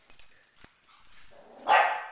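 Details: Oshi, a pug, fires off a single harsh bark at balloons after a quiet indoor lead-in, defending his humans from the floating intruders.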